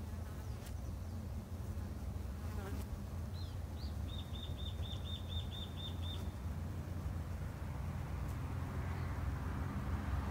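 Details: Japanese honey bees kept by a beginner backyard beekeeper, a dense low steady hum of many wings filling the recording, with a short series of high repeated bird chirps midway.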